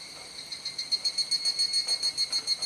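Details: Dusk cicada chorus recorded in Kuji, Iwate, Japan, 17 July 2017 during the rainy season; piercing high ringing that breaks into rapid, regular loud pulses after a softer start.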